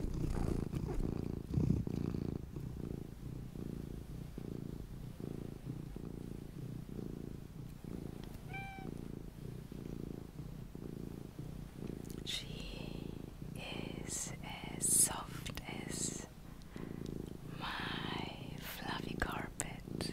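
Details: Luna, a mini pet cat, purring in a long, pulsing low rumble with a regular in-and-out rhythm, one short high tonal chirp midway, then rustling and handling noises toward the end.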